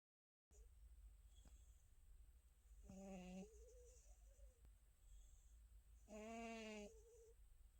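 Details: Contented house cat Tabbsy asleep and dreaming indoors, snoring: two drawn-out nasal, harmonic breaths about three seconds apart, each under a second, with a faint whistling tail after the second one, over a low steady hum.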